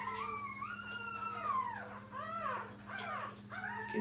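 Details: Puppies kept with their mother at a training kennel fuss indoors: drawn-out, wavering harmonic whines that rise and fall in pitch, several overlapping, over a steady electrical hum.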